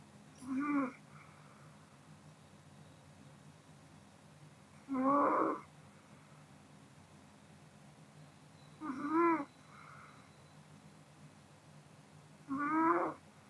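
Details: Kodama, a sleeping female Pomeranian, snores indoors: four short, wheezy, rasping snorts, one roughly every four seconds, each rising then falling, separated by quiet breathing and faint room hiss.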